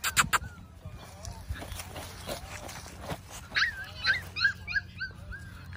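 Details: Golden Retriever named Chloe, called by its owner, gives a run of high, upward-sliding whimpers and yips in the second half, while a person repeatedly calls 'come Chloe' over it.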